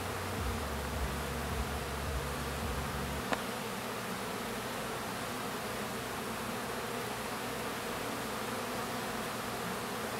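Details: Swarming hum of honey bees around the hive during the orientation flight of new foragers; an even, dense drone with a single sharp tap about a third of the way through.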